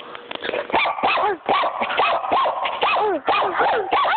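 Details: A barking puppy, female, gives a rapid string of about ten high, arching yaps in quick succession, with faint speech in the background.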